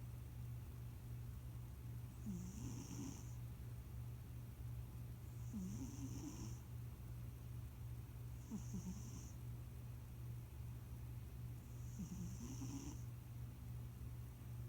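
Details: Sleeping house cat Leon, called Debunyan, a chubby newcomer to the family, snores four times at even intervals of about three seconds: low buzzing inhalations with a breathy whistle on top, a constant electrical drone underneath.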